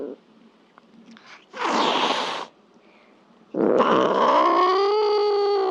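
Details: Domestic cat giving a drawn-out harmonic meow that rises, then holds steady and slightly falls over about two seconds, preceded by short bursts of rustling noise.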